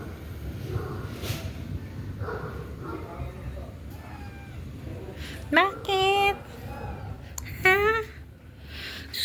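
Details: Pet cats meowing after dark as thunder, lightning and rain roll in, hungry again; two loud, drawn-out meows with bending pitch come about two seconds apart over steady rain noise and a person talking.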